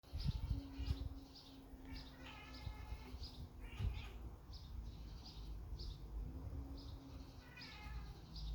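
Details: Male cat sitting by a window in the morning chattering at birds outside: quick bursts of short, clicking, mid-pitched chirps, several per second, over a low indoor rumble.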